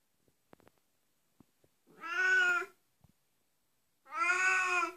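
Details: An Oriental Siamese cat gives two long, loud, nasal meows, each with a slight rise and fall.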